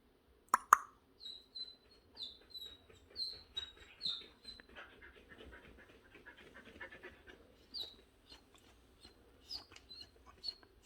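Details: Restless Jindo dog whining indoors, urgently needing to defecate after an upset stomach from a snack eaten the day before; a sharp thump opens, then thin high whimpers, each falling slightly in pitch, repeated about every half second.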